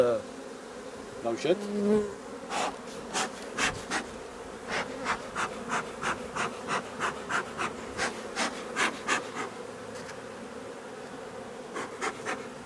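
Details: Honey bee colony during replacement of drone-laying colonies: a steady low droning hum of the hive runs throughout, overlaid by regular soft broadband puffs about twice a second and a brief voice near the start.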